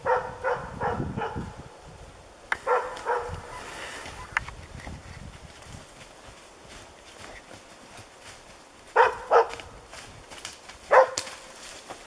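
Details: The dog Diesel of Ukonvuori, in moose dog training on one of its first moose contacts, barks in scattered short bursts with long quiet gaps between, over faint rustling.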